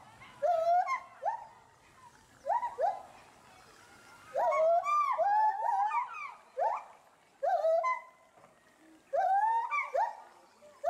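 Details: Two captive agile gibbons at Bristol Zoo Gardens, Bristol, UK, calling loudly after spotting something in the bulrushes beneath them. Clustered rising whoops and wavering hoots come in bursts separated by short pauses.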